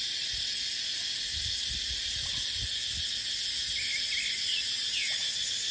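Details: Cicada chorus in dry dipterocarp woodland in the dry season, with wind: unbroken piercing high buzz, soft low rumbles of wind underneath, and a few faint bird chirps late on.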